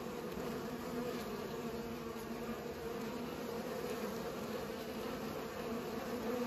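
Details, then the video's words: Steady droning of bees at work pollinating, many wings humming together in an even, unbroken buzz. "Bees pollinate"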